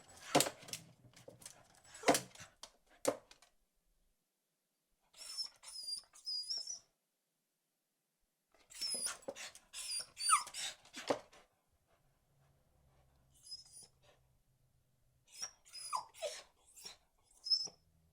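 A Beagle barks in short, sharp bursts separated by brief pauses.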